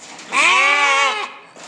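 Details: Goat giving a single loud, wavering bleat about one second long with a nasal, buzzy tone, then quiet.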